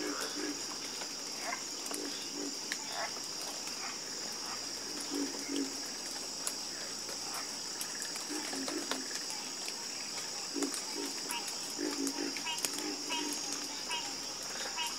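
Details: Soothing frog chorus with deep, short croaks coming in small bursts and pauses, set against a steady, high, buzzing insect background.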